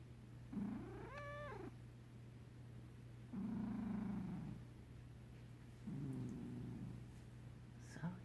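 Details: Sleeping cat purr snoring: a rising then falling nasal whine, followed by two long, low, buzzy rumbling breaths with pauses between, and a faint squeak at the end, over a steady low hum.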